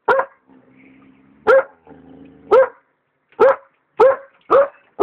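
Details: An Alaskan Malamute puppy barks in loud, sharp bursts at a hot air balloon, trying to attack it, with faint low rumbling between barks.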